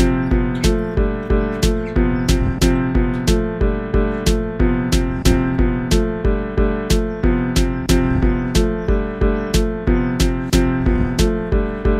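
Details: Steady instrumental music with a regular plucked beat and sustained tones plays throughout. No animal voices can be picked out.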